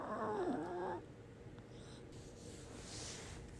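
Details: A Chihuahua, one of two in the household (a white 5-year-old male and a black 4-year-old female), gives one brief nasal whine that dips in pitch and then lifts again.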